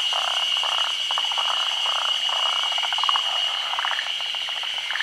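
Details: Forest green tree frogs, a species endemic to Japan, at a midday spawning on branches over still water during the rainy season; dense chattering pulsed calls, rapid and overlapping, with a steady high-pitched whine throughout.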